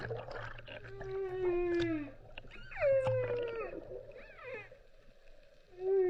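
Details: Whale vocalizing in a series of harmonic, sliding moans that dip downward, broken by short higher squeals and pauses, with a faint low drone beneath.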